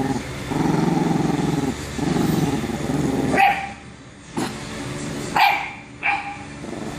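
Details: A bulldog pestering a chihuahua: a steady low rumbling noise first, then three short sharp barks spread over a few seconds.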